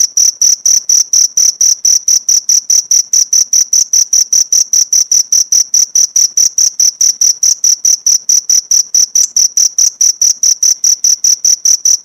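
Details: Cricket recorded as masteran, a tutor track for pleci (white-eye) songbirds to copy: a steady run of short, bright, high-pitched chirps, about four per second, evenly spaced and unbroken, with no other sounds.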